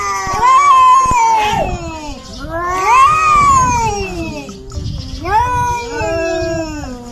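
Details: Kitten meowing, cats fighting: three loud, long drawn-out meows, each rising then sliding down in a wailing arc, spaced roughly two to three seconds apart, rich in harmonics with little background sound.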